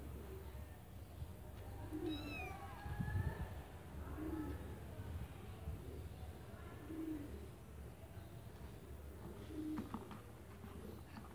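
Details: Kittens in a white bucket, with one thin, high meow sliding down and then up near the start, heard over a steady low rumble and soft low cooing pulses that repeat about every two seconds.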